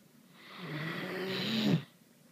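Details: A sleeping Great Dane gives one long, rasping snore that swells and then cuts off abruptly. Great Dane.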